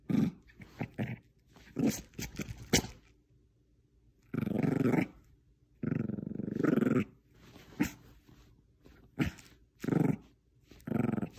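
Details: Jojo, a female Bichon Frise playing tug of war with a small stuffed squirrel, growls in rough, rumbling bursts, with sharp huffs and yips between them.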